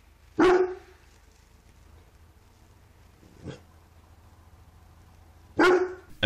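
A Cane Corso gives two loud, deep, booming barks about five seconds apart.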